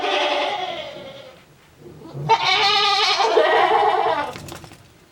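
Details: Male goat on a Japanese goat farm, recorded 7 December 2022, calling in an unusual voice: two long harmonic, wavering bleats, the second rough and strained with a pulsing quality, separated by a brief pause.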